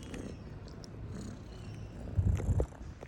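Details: Cat purring in a deep, even rumble, with a few louder thumping bumps close to the end.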